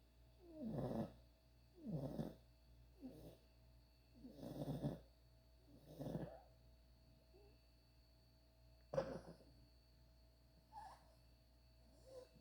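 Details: Ruby, a puppy, snoring while asleep: five rhythmic gravelly breaths about one second apart, then quieter, softer snuffles, with one sharp click near the nine-second mark.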